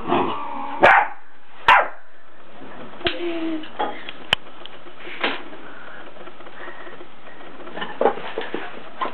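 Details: A 4-month-old Labrador puppy named Impi plays with an 8-year-old house cat. Two quick, loud barks open the clip, then softer scattered yips and whines follow at irregular intervals.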